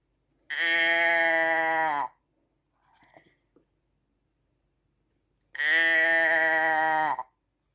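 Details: Sheep bleating twice, each a drawn-out buzzy baa of roughly one and a half seconds that drops slightly at the close, separated by a quiet gap with soft rustling.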